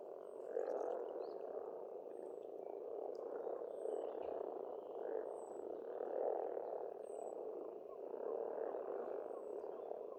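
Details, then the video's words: Chorus of frogs at a pond in Estonia during spring, a dense low croaking in rhythmic swells, while a bird repeats a thin high whistle roughly every one to two seconds. "Расслабляющее пение птиц и лягушек, весна, природа."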